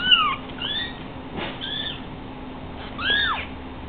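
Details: Three-week-old Savannah kittens, five of them stuck on a couch because they cannot jump yet, let out a few thin, high, bowed mews, softer and spaced apart, over a low steady hum.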